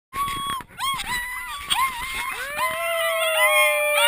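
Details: Sled dog puppies learning to howl in September 2012 howl together in wavering, overlapping tones that rise and fall.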